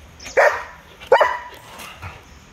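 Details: Dogs fighting, a Belgian Malinois attacked by a German Shepherd and a Rottweiler; two sharp, loud barks about 0.7 seconds apart, then quieter scuffling.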